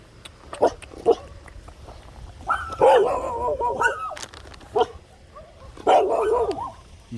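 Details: Small poodle among village dogs, with a mother dog and her pups, running in front of a delivery van on a country road. Sharp single barks near the start, a drawn-out wavering whine in the middle, more barks near the end, with faint voices.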